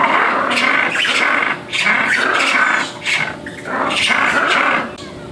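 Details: Captive ring-tailed lemurs at the Miami Zoo, several up in a structure while one below calls noisily: harsh, raspy bursts repeated about once a second with brief pauses between runs.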